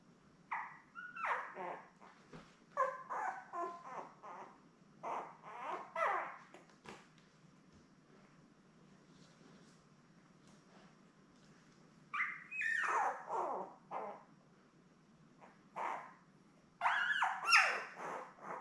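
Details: Newborn Labrador Retriever puppies, a litter of seven born May 24, 2021, with their mother Belle, whimper and squeal on an indoor puppy cam. Clusters of high, squeaky cries rise and fall in quick runs, separated by quiet pauses.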